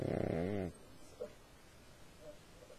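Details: A sleeping dog gives one short, rattling snore under a second long, followed by quiet breathing with a couple of faint soft snuffles.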